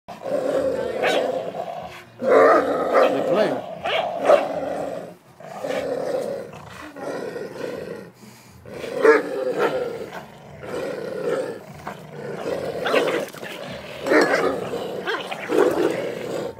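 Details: Two dogs, a brindle pit bull and a Doberman, playing around together: rough, throaty growls and grumbles come in bursts of a second or two, almost continuous across the clip, with louder surges near the start and middle.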